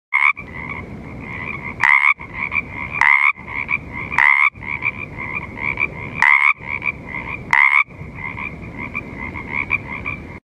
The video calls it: Pacific Chorus Frog call